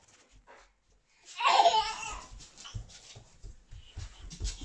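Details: A German Shepherd playing a game of tag with a baby gives a single loud, rough bark, with the baby's giggles and babble around it.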